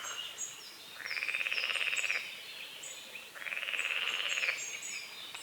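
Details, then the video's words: Frogs croaking at dawn over a small lake on a forest edge, morning fog on the water; two long pulsed rattling trills about a second each, separated by a short pause, with high thin bird chirps above. "The sounds of morning frogs croaking"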